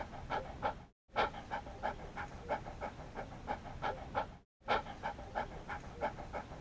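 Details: Dog panting in quick breathy pants, about three each second, each with bright harmonic bands. Two brief dead-silent gaps cut the steady rhythm.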